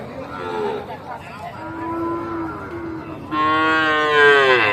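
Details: Sahiwal bull calf at Aftabganj cattle market, Nawabganj, Dinajpur, Bangladesh, 8 October 2024: a long, low, even moo, then a louder, harsher bellow rising and falling at the end, with market crowd noise behind.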